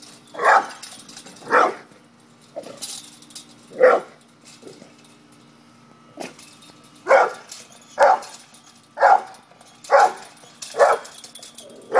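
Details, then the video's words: Pit bull acting up in a standoff with a courageous cat, giving repeated short gruff barks in loose bursts, about one per second with a pause midway, over a faint constant background hum. "PITBULL VS CAT"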